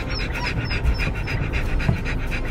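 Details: Siberian Husky puppies, old enough and fully vaccinated, on a first visit to a dog park with their mother and father; quick, rhythmic breathy panting, about four puffs per second, with a woman talking nearby.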